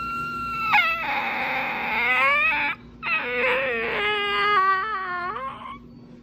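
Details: A dog producing all kinds of funny sounds, here a long yowling whine sliding from high to low, breaking into wavering, yodel-like warbles, then a second stretch of rising and falling whimpering moans that fades out.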